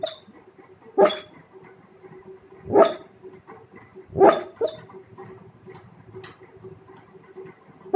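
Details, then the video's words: Dog asleep, giving soft muffled woofs and snort-like bursts, three strong ones about every one and a half seconds then a fourth at the end, over a faint steady hum. "Dog making funny sound while sleeping"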